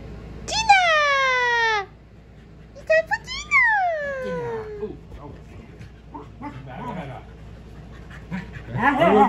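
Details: Male Keeshond excited while waiting for dinner, giving two drawn-out whining howls that slide downward in pitch, the second rising before falling, followed by softer yips and a woman's voice talking.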